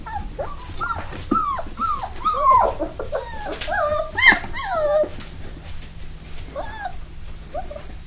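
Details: Litter of 4-week-old Belize/Riggs puppies whimpering and yipping: many overlapping high, bending whines, some rising then falling, in quick irregular bursts over a faint steady hum.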